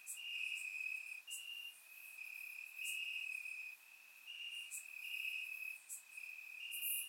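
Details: Crickets chirping in the grass on a warm summer night in Bulgaria, recorded in surround sound: steady high trilling bands of several overlapping insects, some phrases stepping slightly higher, with short bright clicks above.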